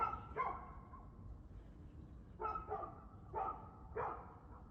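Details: Domestic dog barking, recorded 2/6/2024 at 6:02 pm: about six short, harmonic barks in loose pairs, two near the start, then a pause of nearly two seconds and four more in quick succession, over a steady low background rumble.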